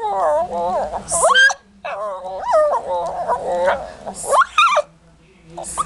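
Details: A Shih Tzu grumbles in wavering, whiny yowls, complaining about being asked to smile and about a bath.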